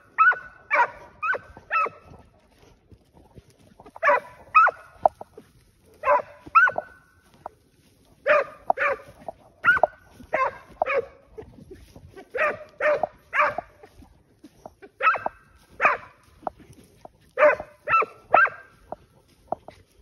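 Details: A steady chorus of barking from scent hounds driving out wild boar during a hunt, bursts of two or three barks coming roughly every second and keeping up throughout.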